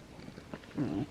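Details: Sleeping female Great Dane puppy snoring, a loud snorer: a faint breathy rumble, then a louder low, throaty snore swelling near the end of the brief moment, in a quiet room.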